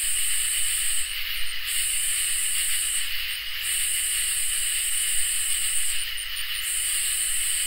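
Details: On a summer night, crickets and katydids keep up a constant piercing trill. Above it, long hissing buzzes run for about two seconds, pause briefly, and start again at regular intervals, with a gentle low rumble underneath.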